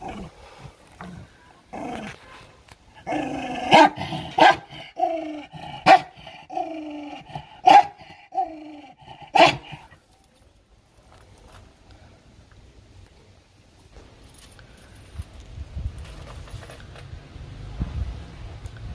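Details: Aggressive dog fighting for food gives harsh growls mixed with sharp barks for about ten seconds, then falls quiet, leaving low background rumble and faint noise.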